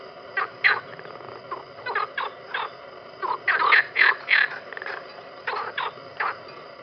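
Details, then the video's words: A frog in a pond gives short, throaty croaks in quick, uneven bursts, several a second at times. "Rana croando"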